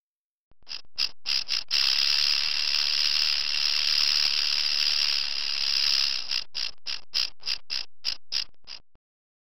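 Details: Rattlesnake rattling: a few quick dry bursts, then a long, continuous high buzzing rattle of several seconds, breaking back into separate bursts that slow toward the end.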